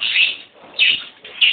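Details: At Boso boso during a sow's labour, with newborn piglets present, three sharp, high-pitched squeals come in quick succession, roughly every half second to second, over a quiet indoor background.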